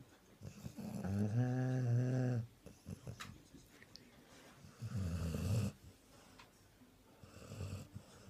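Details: Sprollie dog asleep after Christmas dinner, snoring loudly indoors. A deep, rattling snore lasting over a second opens, followed by a softer rough snore and faint wheezy breaths between.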